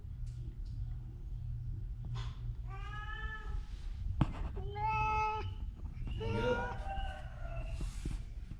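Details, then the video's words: Ginger domestic cat, sick with a cough and cold, indoors, giving three harmonic meows, the middle one short and level, the last longer and wavering, with a person's voice speaking softly around them. "Kucing Oren Lagi sakit batuk pilek"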